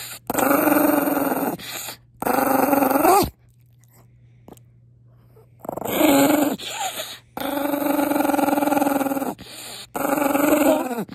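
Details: An angry Maltese named Pongpong, upset at being kissed, gives long sustained growls of one to two seconds each. The rasping, harmonic growls come in several stretches, with a quiet pause in the middle.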